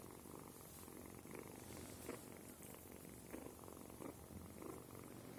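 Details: Kitten named Sima purring: a soft, steady low rumble with gentle pulses rising and falling through the clip, quiet and close, no other clear sounds.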